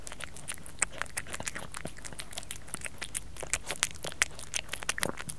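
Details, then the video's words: Crisp, irregular crunching as Kerry the cat eats, close indoor ASMR recording; sharp clicking bites about one to two per second, some louder snaps among softer chewing. "Cat Kerry Eating ASMR"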